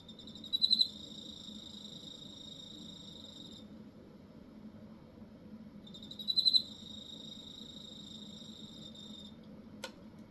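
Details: A cricket from Hokkaido sings two bouts, each opening with a quick cluster of loud pulses and continuing as a steady shrill high trill for about three seconds, separated by a pause of low background hum.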